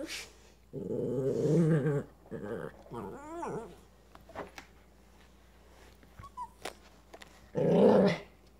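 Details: Pet dog Coco growls at a crawling toy that looks like a spider, wary of a bite: low, rumbling growls in two bursts, a quieter wavering whine between them, then a final loud growl, in a small room.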